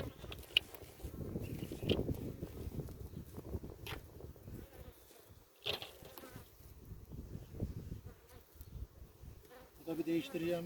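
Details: Bees humming around a hive being inspected for its queen after harvest in a Ceyhan village beekeeping yard: a soft, continuous low drone with scattered clicks and knocks of frames, and faint human voices near the end.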